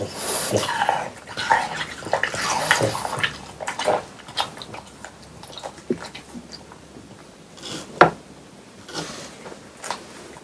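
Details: Close ASMR of French Bulldogs chewing watermelon inside on a hot summer day: dense, wet, slobbering chews for the first few seconds, easing into sparse sharp smacks and licks.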